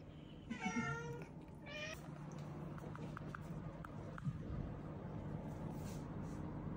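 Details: Rescued weak kitten, one of a pair found leaning on each other, fading, after a family funeral. Two quick mews sound near the start, then only a steady low hum and soft background noise remain.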